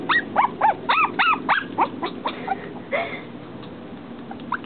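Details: A female dog, upset at being unable to get past a pane of glass, lets out a rapid burst of sharp, rising-and-falling yelping whines, then trails off into fainter whimpers.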